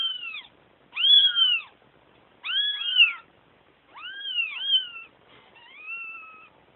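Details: Crying kittens wanting their mother: clear, high mewing calls with a rising-then-falling shape, five or six cries spaced about a second apart, the last one flatter and softer.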